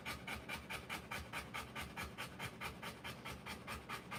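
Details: Rottweiler panting during the live birth of her puppies: fast, even, breathy huffs repeating about twice a second throughout.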